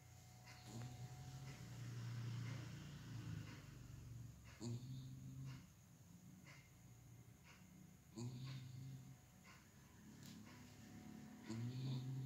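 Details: Pet dog named Kucrit snoring, a quiet, low rumbling drone that swells and fades with each breath, the louder snores returning roughly every three to four seconds, with a few soft clicks and rustles in between.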